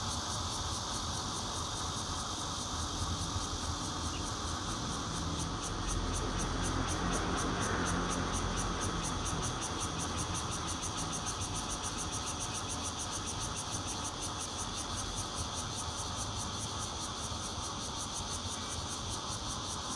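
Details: Recorded in Zhongli, Taiwan, on 16 June 2013 from a fourth-floor home using a Nokia Lumia 820, bear cicadas (red-veined plus intermittent singers) keep up a loud, shrill drone, with quick rhythmic pulsing and a brief swell midway.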